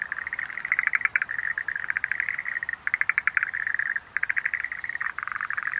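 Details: A chorus of Schlegel's green tree frogs, with fast clicking pulse series running almost continuously and short pauses near the third and fifth seconds.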